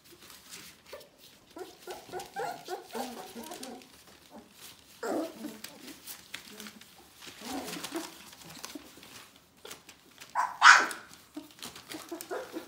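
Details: Bohemian Shepherd puppies of the "F" litter, a day short of four weeks old, indoors: soft squeaky whimpers and grunting mews in bursts, with a sharper high squeal near the end and faint rustling between calls.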